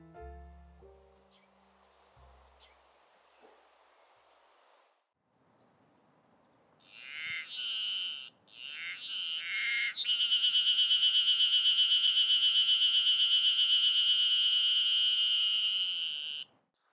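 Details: Ezo Haruzemi cicadas singing in the afternoon in a Hokkaido garden in early summer. After a few quieter background noises, a loud, high, shrill buzzing chorus swells in, steady and rapidly pulsing, then cuts off abruptly.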